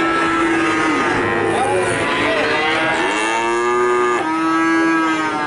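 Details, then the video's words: High, steady moos from calves in Nganjuk overlap continuously, with one call sliding upward and several drawn-out notes running into each other. "Pedet Sapi Nganjuk"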